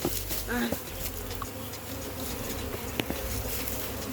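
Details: Honey bees inside an opened barrel hive during a hive capture, giving a dense steady hum with a few brief higher whines of single bees flying close, plus light clicks and handling noise.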